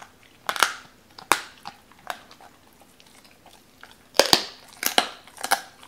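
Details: Cola the Doberman eats raw chicken, a first try at uncut chicken: sharp bone crunches in irregular bursts, separated by short quiet gaps, with a cluster of loud bites toward the end.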